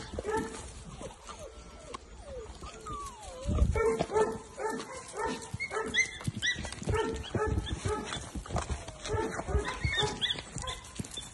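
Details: Playful English Springer Spaniel puppies nearly two months old in a litter; thin rising whimpers give way to dense bursts of short, sharp yips repeated several times a second, with rustling and bumping underneath.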